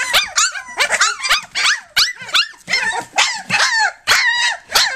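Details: Three-week-old puppies from Flute's litter, nursing and playing, give short rising-then-falling yelps and whines in quick bursts, with brief gaps between them.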